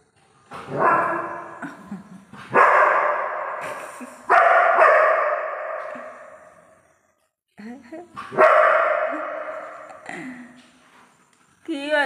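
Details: Labrador Retriever puppy barking in a series of loud, harmonic barks that trail off, with pauses between bursts and a person speaking nearby.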